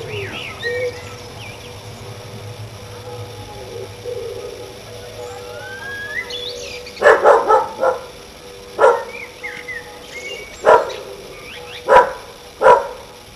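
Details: A neighbour's dog on a summer evening, barking at everything. Birds whistle and coo in a quiet opening, then about six sharp, separate barks break in during the second half, spaced one to two seconds apart.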